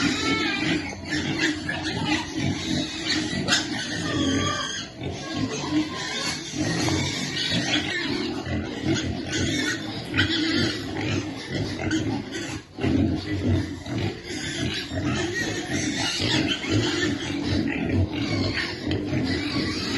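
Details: Piglet waiting to eat while being fed: dense, continuous low grunting and snuffling throughout, with scattered sharper clicks and rustling noises.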